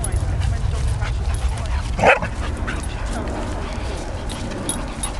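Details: Two 9-month-old dogs, a Rhodesian Ridgeback and a Presa Canario, at play; a single sharp bark stands out midway over steady rumbling background noise and scuffling.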